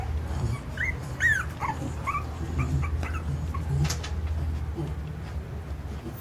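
Jack Russell Terrier puppies give thin, high whimpers and squeaky yips over a low steady hum.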